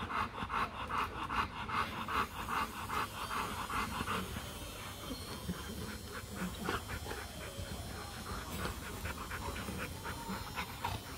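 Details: Rottweiler during a mating session between Marvin Gervi and Kacyno Gervi in Hanoi, Vietnam; quiet, rhythmic breathy panting bursts about two to three per second, with a low background rumble throughout.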